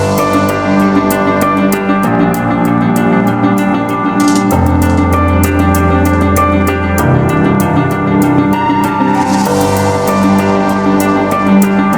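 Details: Loud new-age style background music with deep sustained bass tones, layered melodic notes and light rhythmic percussion throughout, no animal sounds.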